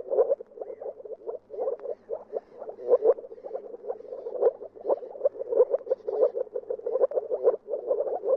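Moor frogs give soft, rapid bubbling calls, like air escaping underwater, repeated without pause.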